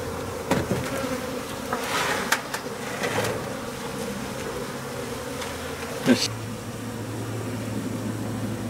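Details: Japanese honey bees swarming for the second time from a home colony that overwintered, being taken into a hive: a dense, steady droning hum with layered tones, broken by a few sharp knocks and clicks, with a lower hum continuing toward the end.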